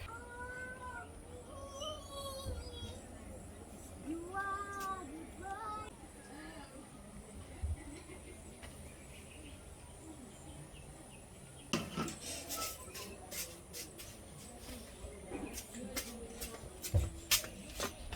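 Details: Abandoned puppy named Happy, left three times and now being rescued, seems afraid. It gives thin, high whining whimpers in short wavering bursts during the first six seconds, followed by clattering knocks and handling noise.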